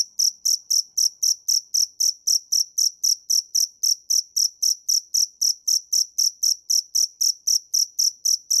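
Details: Shrill cricket chirps repeat in a tight, regular beat of roughly four per second, each pulse bright and high, nothing else audible.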